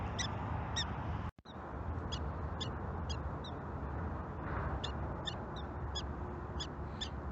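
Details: A wild prairie dog at its den in a prairie dog village gives sharp, high chirping barks about twice a second, an alarm warning family and friends of an approaching person it takes for a predator.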